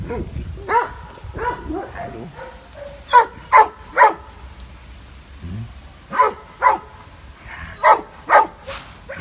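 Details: Benno, a fearful dog at the Biberach animal shelter that the previous owner called a Landseer, barks at an unfamiliar person. Sharp barks come in pairs and trios with short pauses between, and there is faint speech in the background.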